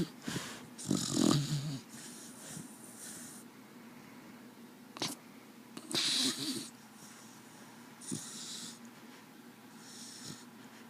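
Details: Desi, a pet dog, snoring while asleep: rough, wheezy breaths with noisy snorts near the start and again around six and eight seconds, quieter breathing between, indoors.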